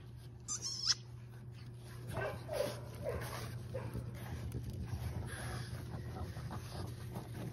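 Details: A litter of French Bulldog puppies at play, running around a sunny green yard on December 1: one thin high squeak early on, then soft scattered yips and scuffling, over a steady low electrical hum with a person calling the puppies nearby.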